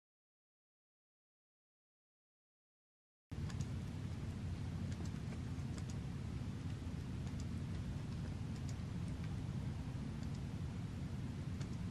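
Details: Three seconds of silence, then a steady low rumble like rain or passing traffic, with faint scattered ticks.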